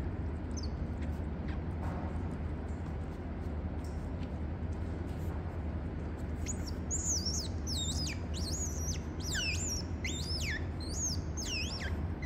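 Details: Otter family at a licensed zoo in Gyeongsan, Korea, as father Toffee carries the pups back to mother Mocha, who feeds them milk. Quiet low hum for six seconds, then a run of shrill, sliding chirps that bend downward, repeated rapidly to the end.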